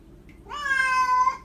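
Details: Domestic cat annoying its owners, giving one clear drawn-out meow that rises at the start, then holds a steady, rich tone for about a second before fading, in a quiet indoor setting.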